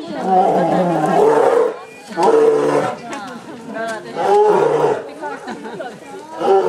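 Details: Twin male polar bears, born December 2008, at Obihiro Zoo on their first public morning after moving from Maruyama Zoo, 27 February 2010, threatening each other over access to a yellow tube; loud rough roaring bursts repeat with visitors' chatter between them.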